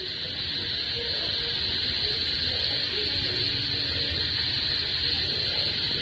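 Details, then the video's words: Crickets chirping with frogs calling during heavy monsoon rain, sounds usually heard only in the countryside; a steady high-pitched insect drone under the hiss of rain, with faint lower frog notes scattered through. "দেখো বন্ধু, ঝিঝি পোকা ব্যাঙের ডাক শুনেছো? দেখো, শোনো।"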